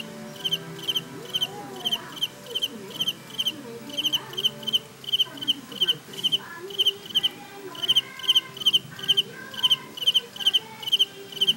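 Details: Cicada. A cicada sings in quick, shrill, buzzing pulses repeated about twice a second. Softer clucking fowl and faint voices sit beneath the song.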